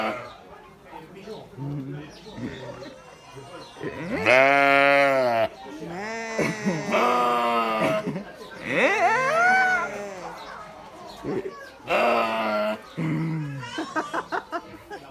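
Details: Sheep making noise: several long, quavering harmonic bleats, some rising and falling, spread through the recording with gaps between them, mixed with short grunts and human voices calling in the background.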